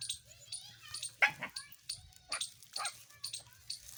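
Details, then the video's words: Puppies with their mother dog give short, high yips and thin whimpers in quick irregular bursts, with a child's voice and household chatter heard in between. "cute 🥰 Puppy dog 🐕 | and Puppy dog mother"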